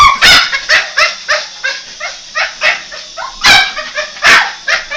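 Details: A Boston Terrier excitedly chasing a toy helicopter gives a rapid run of short, high-pitched yips and barks with a whining edge.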